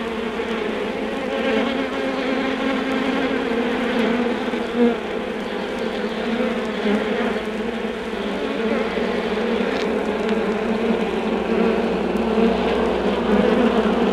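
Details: Undisturbed honey bee colony humming inside its hive: a constant layered drone with no pauses, a brief louder flutter near five seconds, faint record clicks scattered through.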